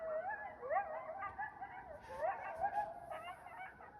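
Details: Coyotes howl by a lake in the evening on January 26, 2025. Mid-pitched notes swoop up and then fall, overlapping in a short burst of group howling with yipping inflections.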